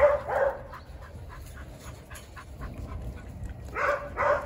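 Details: Jindo dogs on a December winter Saturday morning, giving short sharp barks in a burst at the start and another pair near the end, with quieter yips between.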